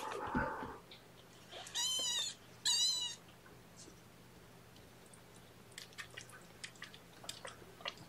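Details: Two loud, drawn-out high kitten mews near two and three seconds during an early morning syringe feeding of young kittens, followed by soft clicks and rustling in a quiet room.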